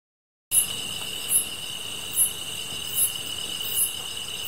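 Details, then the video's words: Grass insects calling at night beside a campfire: a steady high shrill drone with a second, even higher whine, plus a bright chirp repeating about every 0.8 seconds, after half a second of silence. "풀벌레 소리"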